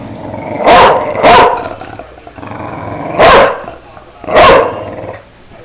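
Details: Bulldog at play giving four loud, hoarse barks, two close together early, then two more spaced about a second apart.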